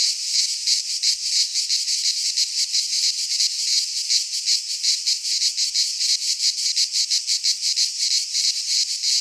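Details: Midsummer cicada chorus recorded in Greek pine forest, a continuous high-pitched shrill buzz throbbing in rapid regular pulses, roughly three per second, unbroken for the whole stretch.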